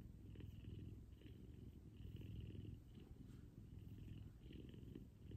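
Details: Morning cuddle with F2 Savannah cat Kumba, purring loudly; an even, low-pitched continuous purr swelling and easing in gentle cycles about every one and a half seconds, with light soft rustling overhead.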